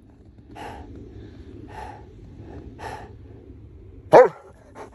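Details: Bernese Mountain Dogs playing in snow; soft rhythmic puffs about once a second, then a single loud, sharp bark near the end, followed by a faint short sound.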